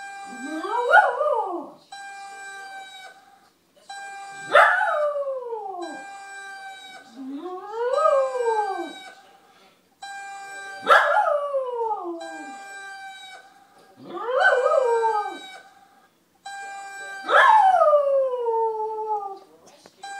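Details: Pet dog howling in response to the whine of an RC EDF jet: long wavering howls that slide downward, repeated about every three seconds, over a steady high-pitched mechanical jet tone running throughout.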